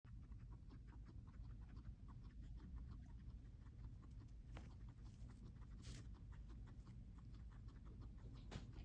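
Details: Hungry pet guinea pigs eating: soft, quick crunchy clicks of chewing, repeated steadily throughout over a low indoor hum, with a few sharper crackles.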